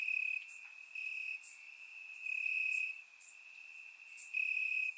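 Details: Crickets calling from grass at night in Bulgaria during warm summer weather, captured with a surround microphone; a constant high ringing trill rises and drops in volume every second or so amid faint higher insect ticks.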